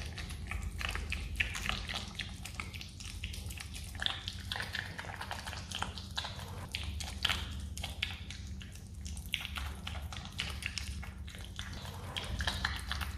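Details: A pet Himalayan marmot chewing jelly makes rapid wet clicks and crunches over a steady low hum.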